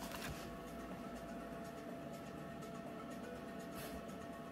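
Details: Quiet indoor background hiss with faint rustling and shuffling, and no animal sound present.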